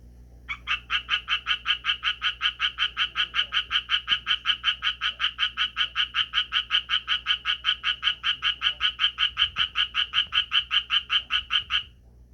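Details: Japanese tree frog calling, shifting posture between bouts: a long unbroken run of raspy, nasal croaks, roughly two to three per second, steady and evenly spaced for about eleven seconds, over a quiet background.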